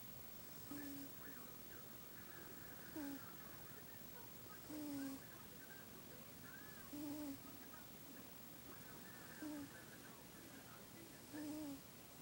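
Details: Sleeping cat named Buddy snoring: each slow breath brings a short whistled nasal note with a faint airy hiss, roughly every two seconds, softer and less even than before, over low room noise.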